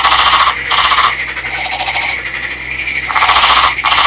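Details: Loud calling from a captive green male Nagoya Daruma pond frog caught in a river: two harsh, rattling, machine-gun-like bursts separated by a softer continuous pulsed trill.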